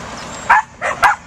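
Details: Three high, short yips from a herding Pembroke Welsh Corgi puppy in rapid succession over quiet background hiss.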